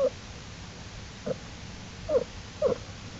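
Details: American black bear cubs of the mother bear Jewel, exploring outside the den beside her on April 2, 2012, studied by the Wildlife Research Institute; four short tonal whimpering squeals, each a fraction of a second, spaced irregularly over steady low background hiss.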